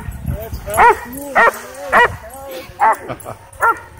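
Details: Dogs at a dog park worked into a frenzy by a drone give loud sharp barks about every half second to second, with softer whines and speech-like sounds between them.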